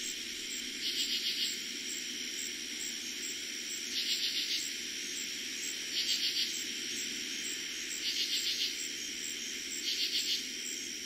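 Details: At night in early summer in eastern Pennsylvania, a katydid gives short raspy pulsed bursts about every two seconds over a steady cricket trill.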